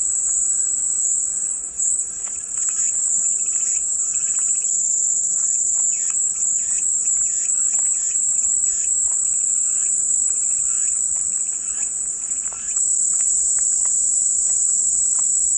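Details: Cicadas drone with a continuous piercing hiss that wavers slightly in strength. Soft scattered chirps and clicks sit below the insect wall of sound.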